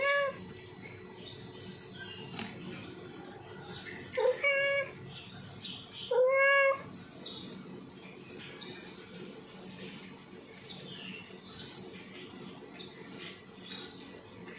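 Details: Male domestic cat in heat calling to a female: three loud, drawn-out, harmonic meows, one at the start, then around four and six seconds, over steady background hiss with many faint high chirps throughout.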